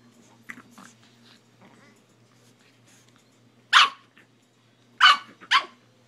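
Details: A puppy named Buddy barking at an iPhone while being photographed: three loud, harsh barks, a single one followed a second later by a quick close pair, over soft rustling and a constant low electrical hum.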